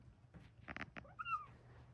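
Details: A Bengal cat hiding under a rug in a closet gives a short, muffled meow that dips and then rises, after a few soft sounds.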